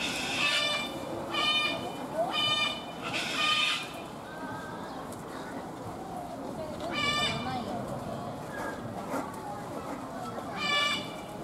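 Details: White goat at Kyoto City Zoo head-butting and intimidating another goat across a fence; six loud, harsh, quavering bleats with rich overtones come in two bursts of four, then two spaced ones, over steady visitor chatter.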